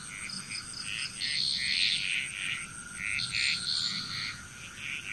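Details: Frogs calling together in Bali, Indonesia, many overlapping raspy notes rising and falling in waves, roughly three per second, with a continuous high-pitched insect drone behind them.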